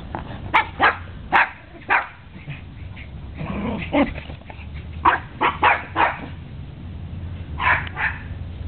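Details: Four dogs, Sebastian, Napolean, Apollo and Zeus, playing and running off energy in a back yard on a January morning; short sharp barks in irregular bursts, some paired, with a low growly stretch in the middle and a steady low hum beneath.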